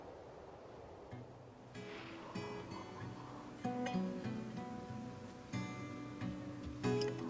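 Plucked acoustic guitar music with strummed chords and a faint voice, with no animal sound.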